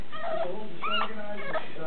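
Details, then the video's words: Roscoe, a pet dog, throws a fit because he hates his pen; three short high whines in under two seconds, each rising then falling in pitch, the middle one longest and loudest, with a faint murmur beneath. "Roscoe throwing a fit.."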